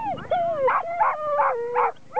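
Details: Excited five-year-old female Vizsla eager for lure coursing: one long whine that slowly falls in pitch, overlaid by four rhythmic yelping pulses about a third of a second apart, then a brief silence before another yelp.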